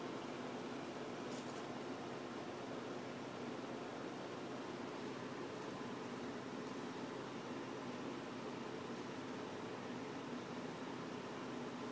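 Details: Steady broadband hum like an air conditioner or fan fills a small indoor room, with no animal sound heard.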